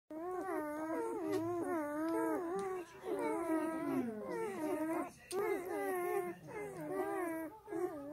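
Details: Black German Shepherd puppies feeding from their sleeping mother, giving near-continuous wavering, tonal whines and squeals that rise and fall, with brief pauses between bouts.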